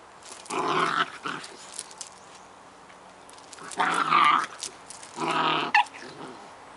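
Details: Bonnie and Basil, Scottish Terrier pups, having fun together: three rough, throaty play growls spaced over several seconds, with quieter snuffly sounds between them.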